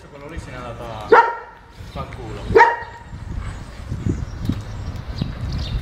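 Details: Unmanageable German Shepherd during its second training lesson, working with its owner: two loud, sharp barks about a second and a half apart, then low murmuring background noise.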